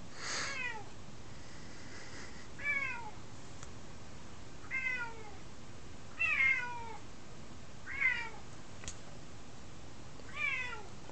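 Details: A nine-month-old female F2 Savannah cat, spayed, meowing indoors for attention at night; clear descending meows repeated about every two seconds, six calls in the stretch, with a woman talking around them.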